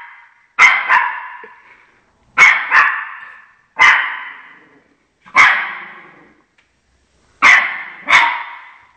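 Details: Shih Tzu guarding its territory indoors, barking at dogs appearing on television; sharp barks come in close pairs or singly, repeated about every one and a half seconds, six bursts in all, each fading quickly.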